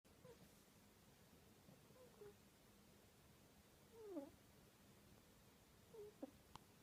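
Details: Sleeping kitten named Ryu making odd snore-like breathing noises: faint, thin squeaky whistles that bend up and down, coming near the second, fourth and sixth seconds over a quiet room hush.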